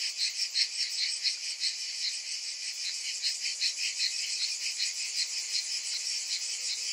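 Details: Many cicadas in summer produce a constant, sizzling high-pitched drone that swells and pulses several times a second, with no birds, voices or music.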